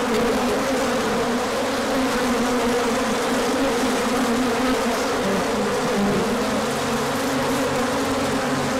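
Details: Numerous bees hum through a large orientation flight as the sun returns after cold days, March 2024; steady dense buzzing, with a deeper droning tone entering in the second half.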